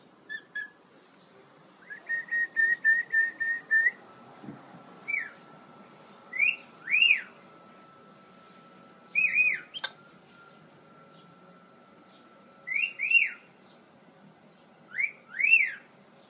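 A capuchin monkey gives clear, high whistled notes, some in quick runs, others as single swooping chirps.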